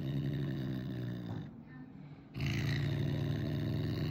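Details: Caracal at the vet, angry and intimidating clinic staff, gives a steady low rumbling growl that breaks off briefly, then resumes with a harsher breathy edge.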